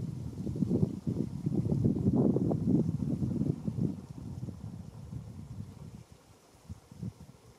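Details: Fallow deer during the 2021 rut in a small game enclosure in Český ráj, Czech Republic: a rapid series of deep, low belching groans over about four seconds, then fading into quieter rustling and wind.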